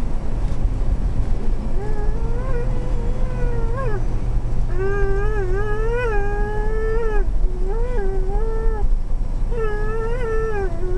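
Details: A female dog in a motorhome 'talking' because she wants her bone: drawn-out, wavering, moaning whines in a series of separate phrases, each bending up and down in pitch, over a steady low hum.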